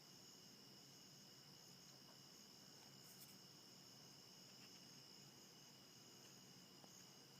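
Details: Crickets keep up a steady, high-pitched chirping drone, unbroken, at about 5:30 am on a very foggy 1 September 2015 morning, recorded from a bedroom window.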